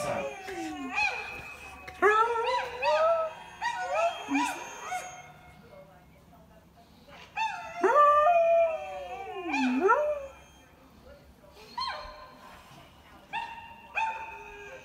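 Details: A Samoyed dog howling: a run of wavering, harmonic howls in short bursts, some rising then falling, with a long swooping howl that dips low and climbs back near the middle, followed by steadier held notes.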